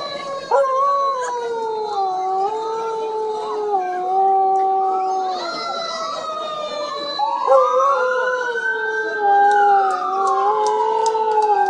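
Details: Dog howling like a wolf on hearing a siren: several long, wavering, overlapping howls that rise and fall, some swooping upward near the end, over a steady siren wail.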